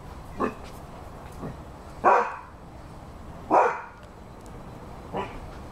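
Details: A Rhodesian Ridgeback gives two strong barks roughly a second and a half apart, framed by softer, shorter woofs before and after, over steady low background hiss.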